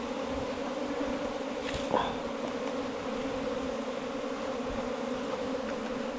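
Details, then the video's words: Steady hum from a bee nest in a 4-metre length of bamboo, low and unbroken, with one brief sharp knock near the two-second mark. "รังผึ้งอยู่ลำไม้ไผ่ยาว 4 เมตร"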